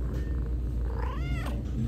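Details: A small kitten gives a single short meow, rising then falling in a smooth arc, over low steady background hum and faint handling noise.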